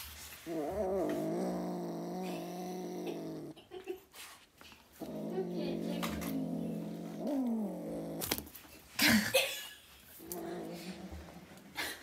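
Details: A Siamese cat grunts and argues angrily, giving long, droning, wavering grumbles in bursts of a few seconds.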